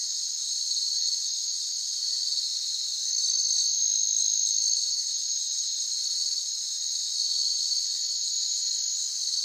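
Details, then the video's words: Natural ambience of crickets: a dense, steady, high-pitched chirring chorus pulsing about four times a second, with a brief thin whistle-like tone laid over it midway. "Cricket Sound Effect - Natural Ambiance"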